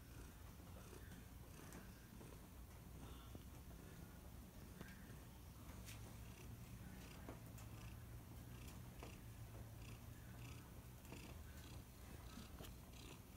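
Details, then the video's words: Domestic cat purring: a low, steady rumbling hum that pulses continuously through the recording, with faint background hiss and occasional soft clicks. "Kitty Cat Purring"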